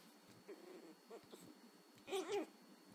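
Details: Angry Chihuahua puppy learning to bark, giving a few short, thin, high yips, then a louder strained double yelp with wavering pitch near the end, in a quiet room with faint electrical hum.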